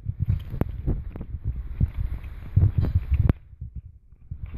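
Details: A French Bulldog chews a deer antler, giving irregular dull thuds and sharp clicks of teeth on hard antler in quick bursts with brief pauses, then quiets near the end.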